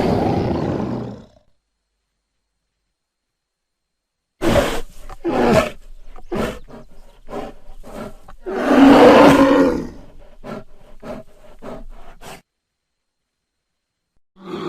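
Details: Short bear growl, then a stretch of scattered snorts, huffs and clicks leading into a loud, gravelly roar near the end, with quiet gaps between sounds.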